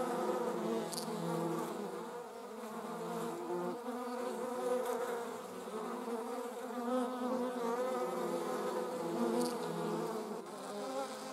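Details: Steady droning buzz of a wasp, German wasp or paper wasp, low-pitched and layered, slowly rising and falling in strength, with a couple of sharp clicks and high faint ticks.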